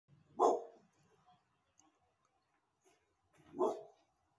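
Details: A female dog barks at people as a guard dog: two loud, abrupt, deep barks with a low, full tone, about three seconds apart with near silence between.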